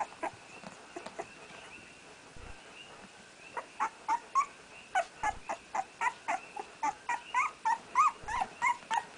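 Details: Newborn male puppy, the first born of a litter and first to open his eyes, crying while trying to walk: scattered squeaks, then a rapid run of short rising whimpers several per second, with a woman's soft encouraging voice.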